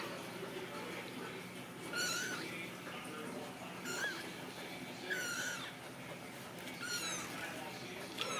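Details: Young Ragdoll kittens in a home-based central Kansas cattery give four short, faint, high meows about every one to two seconds. The room is noisy with hiss and low hum.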